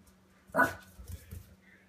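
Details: A Cairn Terrier puppy, facing off against a door stop, lets out a single sharp, bright bark, then a couple of quieter, shorter yips over a low steady hum.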